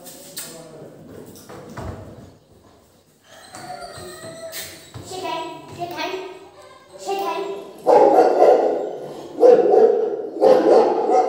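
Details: A three-month-old Doberman puppy barks in short, harmonic bursts that grow louder, reacting to fake dog barking and speech played on a speaker.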